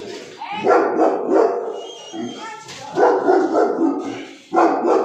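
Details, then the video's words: Aggressive Cane Corso dog barking in loud, harsh, throaty bursts, three main bouts separated by brief quieter gaps, each bout with rapid repeated deep barks. "aggressive behaviour cane corso"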